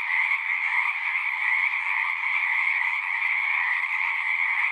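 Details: Frogs singing in a dense chorus at a pond in a horse pasture, recorded on a Zoom recorder; a continuous shimmering trill with steady bands of sound, many callers overlapping without pause.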